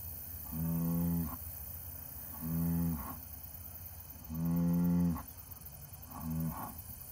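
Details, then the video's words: Angus bull mooing four times, each low harmonic-rich moo lasting under a second, spaced about two seconds apart, the last one shorter, over a steady background hum. "Yes folks, this Angus bull can speak"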